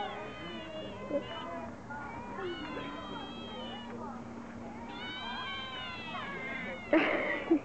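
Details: Otters giving miaow-like calls: long, wavering, harmonic mews in separate bursts, with a low steady hum below and a sharp, noisy burst near the end.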